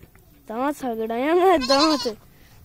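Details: Young goat kid playing with a child, giving a loud, wavering, drawn-out bleat in several pulses lasting over a second, followed by laughter.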